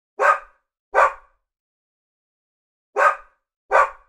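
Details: Labradoodle dog barking in two quick pairs, each pair a sharp, hoarse double bark less than a second apart, separated by a silent gap of about two seconds, with nothing else heard.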